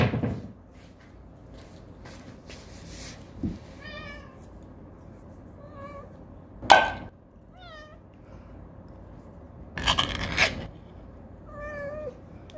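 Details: Cats at their first shared meal after moving out, giving four short, clear meows several seconds apart, each arching slightly in pitch, mixed with dish clinks, a loud clatter and brief human voice indoors.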